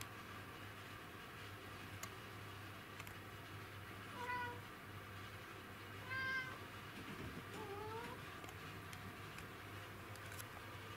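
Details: Kuro the black cat, hunting an insect on 20 August 2017, gives three quiet, short meows over a steady low hum, the final one rising then dipping.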